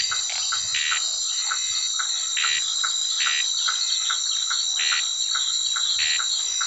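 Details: Night in the caatinga, birds asleep: frogs croak in short, repeated mid-pitched notes, with a louder burst about every second, over a steady, shrill drone of night insects.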